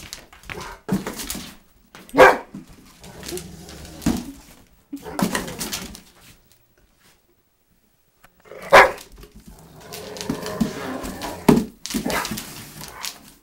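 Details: A Rottweiler attacking a cardboard box gives rough growls and loud barks in bursts, with a short quiet pause in the middle.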